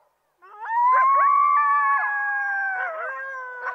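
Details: Coyote howling: a long, steady, high wail rising at the start, with several overlapping voices bending and dipping toward the end; a few short yelps break in.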